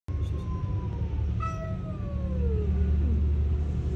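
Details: Two possibly pregnant cats growling at each other, competing over the same resting place: a long drawn-out tonal yowl that slides slowly downward, then a second falling wail, over a steady low rumbling background.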